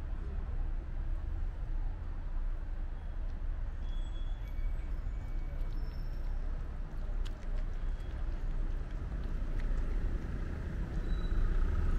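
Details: Steady low rumble of vehicles and urban background noise, with a few faint high tones and clicks and no clear animal voice.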